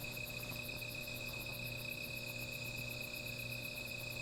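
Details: Night insects near a small fire: constant high-pitched ringing drone with a fast, very high pulsed trill repeating about four times per second, unbroken for the whole stretch, with a faint low hum underneath.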